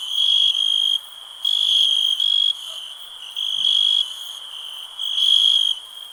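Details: Cricket chirping in bursts of steady high ringing tone, each burst about half a second to a second long with pulsed texture, repeating roughly every one and a half seconds over a quiet background.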